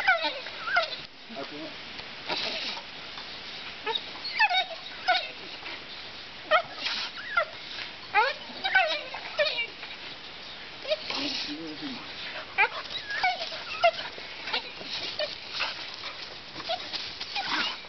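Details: Pit bull dog during attack training, giving repeated high whimpers and yelping squeals that rise and fall in quick, uneven bursts, with people talking and broadband scuffling noise throughout.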